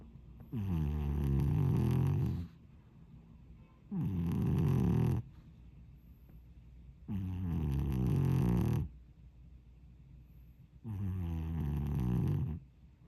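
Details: Sleeping domestic cat snoring loudly indoors: four long, harsh, low rumbling breaths lasting about two seconds each, separated by quiet pauses of roughly two seconds, with rich throaty overtones.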